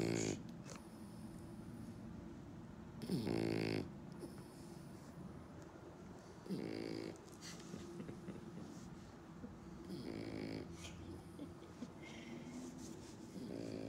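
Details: A French Bulldog that had nasal surgery at age two gives loud, pig-like snorts in short bursts every few seconds.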